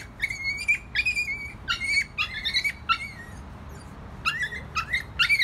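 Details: Screech, a rescued dog with a history of abuse and severe anxiety attacks, now up for adoption at The Dog Cafe, indoors: high, thin whines and squeaky yelps, some sliding, come in quick bursts with short pauses.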